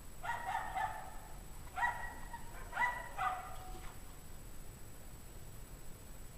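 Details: Distant dogs from a pack barking on a cold 17-degree Fahrenheit January evening in 2009, possibly from stress, fear, cold or hunger. Three bursts of ringing, layered barks in the first four seconds, then only low background hum.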